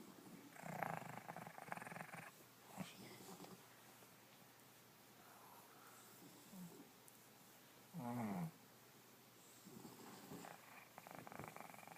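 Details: Indoors, a dog snores and snorts: rough noisy breaths at a low pitch, a nasal harmonic snort around 8 seconds, and scattered soft snuffles between them.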